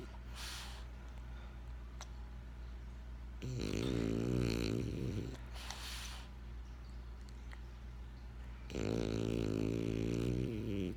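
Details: Benjamin the French Bulldog sleeping and snoring: two long rattling, buzzy inhale snores several seconds apart, with hissy breathy exhales and quiet pauses between them.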